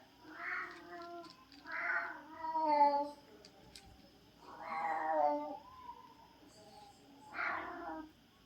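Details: Sulking domestic cat that disliked its food meows four times over several seconds: drawn-out, nasal, harmonic cries separated by pauses, with faint human voices nearby indoors.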